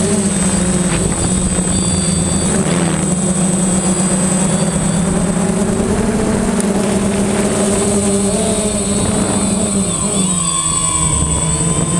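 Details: Loud, steady buzzing drone of a flying drone's motors and propellers, with a shifting engine hum and a constant high whine, and no barking.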